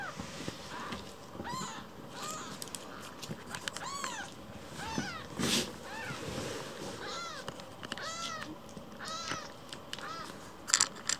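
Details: Indoors, the rescued baby kitten Kira, lost in the house, calls with thin, high meows, scattered and fairly faint amid clicks, rustling and handling noise, with a sharp knock midway.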